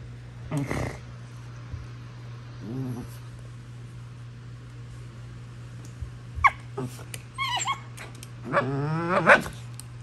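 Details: Basenji named Prisca putting on a tough act with wild-dog-style squealing; a few scattered squeals and whines with wavering pitch, separated by quiet stretches, over a steady low hum.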